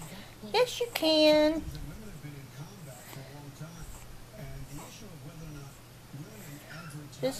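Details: Four-week-old male French Bulldog puppy, unhappy while learning to walk. After a short yelp, it gives a single loud, steady, high whining cry lasting about half a second, followed by a woman talking softly to it.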